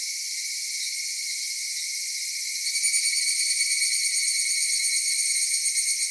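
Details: Cicadas of a Japanese summer, filmed at Kitakami's Michinoku Folk Village and Kitakami Tenshochi: a steady high hiss that becomes louder and pulses rapidly after about three seconds, with a bright tone layered on top.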